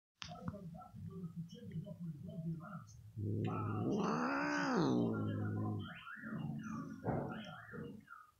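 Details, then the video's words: An indoor mother cat, annoyed and nervous while her daughter licks her, in front of a television. Soft grumbling noises lead into a long, loud, wavering complaining yowl that rises and falls. Shorter murmurs follow. "Cat Mom Doesn't Want To Be Licked By Her Daughter And Gets Nervous"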